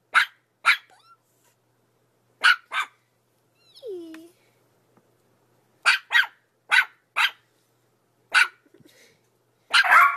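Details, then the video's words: Yorkshire Terrier yapping in short high barks, mostly in quick pairs, with a brief human voice in the pause midway and a noisier bark cluster at the close. "Yorkshire Terrier Barking and Howling Compilation"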